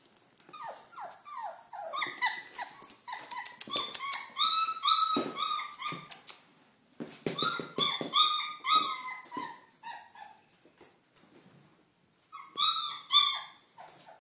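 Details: Red rust Doberman Pinscher puppies, 28 days old, some following their owner indoors: a chorus of high, overlapping whimpers and squeaky yelps, many rising then falling, in dense bursts with short pauses, one near the end.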